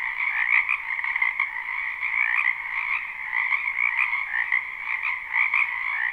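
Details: A springtime wetland full of croaking frogs, recorded live: overlapping trilled calls form a constant buzzing chorus, individual voices surfacing as brighter pulses within the steady drone.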